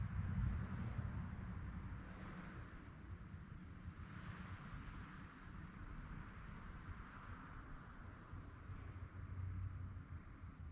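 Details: Crickets at night keep up a constant high, beaded trill, rapid and even, while a low rumbling background swells and fades.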